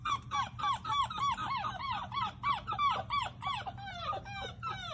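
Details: Puppies with their mom and dad, giving a steady run of shrill, downward-bending squeals, about three or four each second, loud and close over a low background hum.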